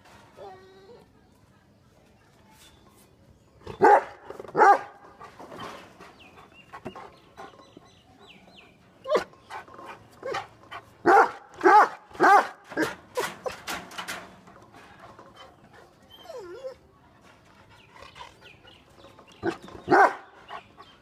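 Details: Two angry dogs, a Great Dane and a Rottweiler named Sultan and Daku, barking in irregular bursts: a pair of loud barks near four seconds, a dense volley around eleven to thirteen seconds, then a final bark, with quieter sounds between.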